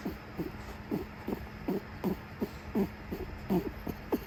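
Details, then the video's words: Female Netherland Dwarf rabbit, furious while taken for her monthly grooming, giving low throaty grunts in a steady series of about twelve short bursts, nearly three per second, over a faint background hum. "【うさぎさんの怒り爆発】月1のグルーミングに行ってきました！毎度大変だよ(；ω；)編 うさぎの鳴き声が響きます！"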